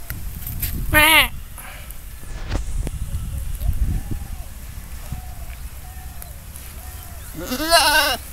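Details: Goat bleating in two short, wavering, quavering cries near the start and end, with quiet background rumble and faint chirps between.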